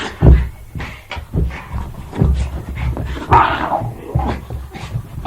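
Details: Playing Jack Russell Terrier giving uneven huffing growls about every second or two, low and throaty, with one brighter whine-like burst in the middle.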